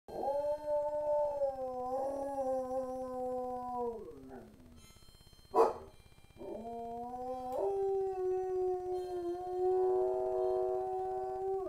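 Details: A German Shepherd that heard something and wants to go out gives long, steady howls, each held level before sliding down in pitch.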